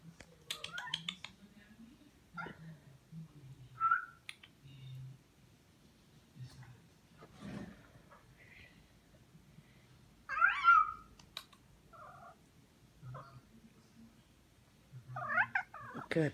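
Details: Pet cat meowing indoors while a person coaxes it: three drawn-out, bending meows near seconds four, ten and fifteen, the middle one loudest, with soft human murmurs, rustles and low room noise between them.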